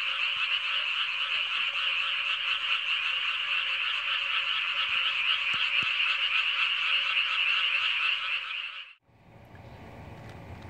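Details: Loud frog chorus in summer by a freshly harrowed rice paddy, frogs said to keep people awake at night: dense, continuous rattling croaks for about nine seconds, then abruptly stopping into quiet background noise.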